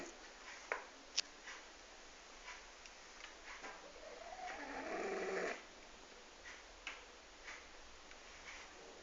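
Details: A 12-year-old French Bulldog snores softly while sleeping, with a long rasping breath and small clicks and snorts between.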